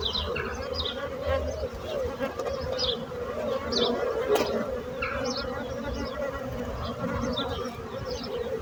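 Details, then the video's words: A continuous, even bee hum, a low droning tone with rich overtones holding steady throughout, with faint high bird chirps scattered in the background. "So brutzit abelles - Bees sound - Bees buzzing sound effect"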